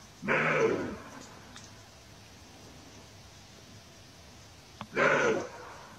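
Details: Roe deer barking twice, each call a coarse, hoarse half-second cough, nearly five seconds apart, with quiet background between.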